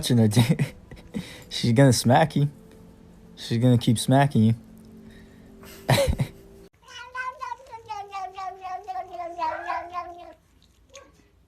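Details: A domestic cat gives a long, drawn-out meow with a steady tone that dips slightly toward the end. Loud human speech is heard first.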